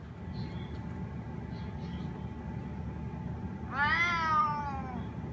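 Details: A spotted snow Bengal cat gives one drawn-out, falling meow, asking to be let outside.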